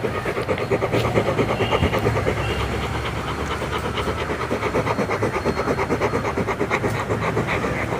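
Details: Rhythmic clatter of a moving train fills the scene, a steady clickety-clack of wheels on rails with hissing, and no animal voice stands out.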